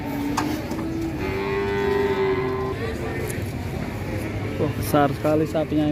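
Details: Steady, sustained lowing from fat cattle as they are loaded onto a truck, the moo holding level for over a second before men begin talking over scraping and truck noise.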